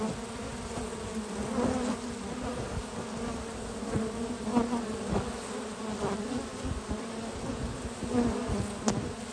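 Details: Honey bees at a research lab hive on a spring morning, foragers bringing in a major pollen haul of at least six types; steady low droning hum with bands around two to five hundred, and occasional faint clicks and knocks.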